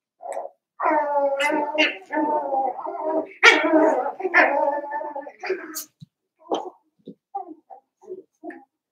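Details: Cavalier King Charles Spaniel puppies, seven weeks old, in a home puppy pen, producing a run of long, wavering whines that break into short, scattered yips and squeaks toward the end.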